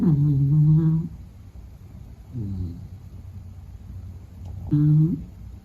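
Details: Sleeping Beagle Meta gives low, buzzy snores: a long humming one, a weaker short breath, then another loud droning snore, evenly low-pitched with rich harmonics.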